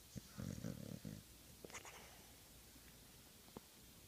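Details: A sleeping pet Old English Bulldog gives one deep, rattling snore, then quieter breathing and a few soft clicks.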